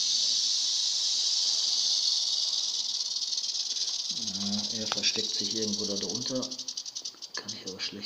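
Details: Continuous high, dry buzzing rattle of a western diamondback rattlesnake (Crotalus atrox), steady for about six seconds before breaking into shorter pulsed bursts near the end, with a man talking in German alongside.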